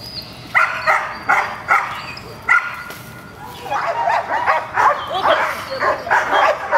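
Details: Gold, a female dog at protection training with an unfamiliar decoy, gives a few spaced sharp barks, then a quieter, busier stretch of barking and voices.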